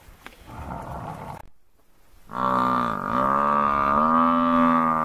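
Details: African buffalo bull in distress while four male lions attack him, the herd approaching: a loud, drawn-out bellowing moan, richly harmonic, dipping briefly then rising and holding steady for nearly three seconds after soft rustling and a short silence.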